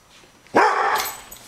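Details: Guard dog Louie reacting to a raccoon with a single sudden, loud bark that fades into a brief rough tail.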